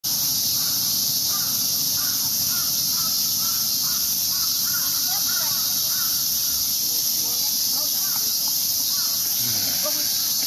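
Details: Cicadas in Ueno Park, Tokyo, Japan, heard from a park path: a loud, unbroken, hissing high drone from many insects, with a man talking over it.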